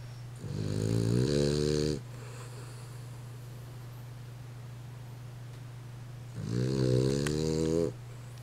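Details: Dog sleeping and snoring, giving two long, nasal, harmonic snores of about a second and a half each, roughly six seconds apart, with a steady low electrical hum underneath.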